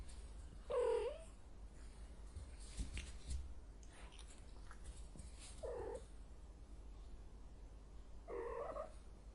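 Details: Cat in heat uttering three brief, rather faint moaning yowls at irregular intervals over a low background hum.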